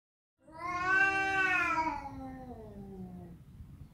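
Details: Domestic cat giving a single drawn-out meow, about three seconds long. It rises, then slides down and fades in a quiet indoor setting.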